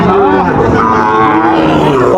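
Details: A Sahiwal bull calf lows briefly at Raniganj cattle market in Dinajpur, 15 August 2024. A short, wavering moo sounds through a busy background of talking people.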